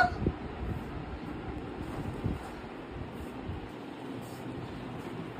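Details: Fan-like whir with low rumbling and a couple of soft knocks, and no animal voice heard.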